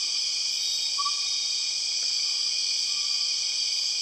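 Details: Borneo rainforest with empress cicadas, a continuous shrill buzzing drone holding steady at high pitch, a single brief whistled note near the first second and another fainter one near the end.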